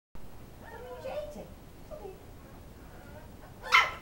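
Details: Welsh Corgi puppies whine softly with thin, wavering tones, ending in a sharp yip, impatient while their food is being prepared.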